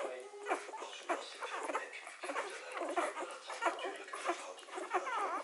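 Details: Three-day-old Hovawart puppies suckling from their mother: short, thin squeaks and whimpers that rise and fall, several in quick irregular succession, over soft snuffling and rustling.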